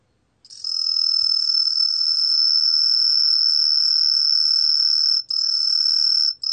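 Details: Sustained song of Hibino's tree cricket, from the National Institute of Biological Resources, 2020: one long, even, high-pitched whistling trill of nearly six seconds with two tiny breaks.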